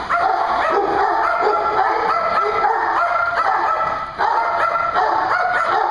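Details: Several dogs at a dog daycare in Hooksett, New Hampshire, barking nonstop, rapid overlapping yaps forming a dense wall of sound over a low mechanical hum.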